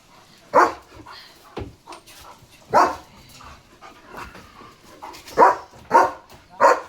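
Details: German Shepherd barking at a passing flock of sheep at the door: loud, separated single barks spaced roughly one second apart, with softer barks and faint voices between.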